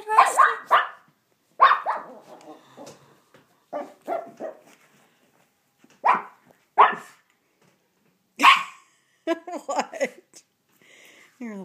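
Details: Rusty, a Shih Tzu who gets angry at his bath towel whenever he is bathed, lets out repeated rough growly barks in uneven bursts indoors while a person talks to him.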